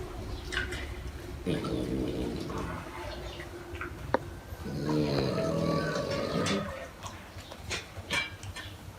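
A sleeping French Bulldog snores in deep, rattling, buzzy breaths that rise and fall.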